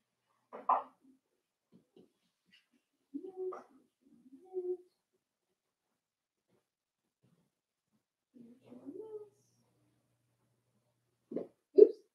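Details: Four-week-old Cavalier King Charles Spaniel puppies from Daisy's litter in an indoor puppy pen give short, scattered yelps and squeaks in a quiet small room, bursts separated by several seconds of silence and ending in two sharper cries.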